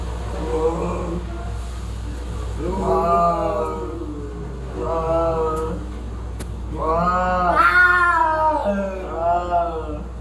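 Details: Cats fighting, giving drawn-out wavering yowls in separate bursts. The longest, loudest wail rises sharply near the end before sliding back down. A steady low hum runs underneath throughout.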